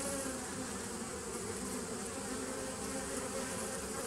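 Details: A 2017 nuc of honey bees on 27 September 2018 gives a continuous humming buzz. The drone is unbroken and level, with low steady tones running beneath the broadband whir of many wings.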